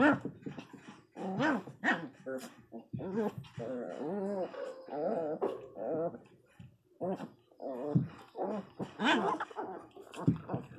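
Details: Pinscher puppy, described as angry, indoors squabbling with another dog over who squeezes into a small hole: rough growls mixed with whining, wavering whimpers in irregular bursts, overlapped by a person talking.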